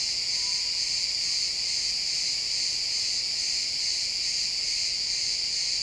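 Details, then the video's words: Chirping crickets fill a pine forest at sunset in this XY stereo recording: an unbroken high-pitched shimmering trill, many insects overlapping, constant level, with only a faint low woodland hush beneath. "Cricket sounds in the pine forest"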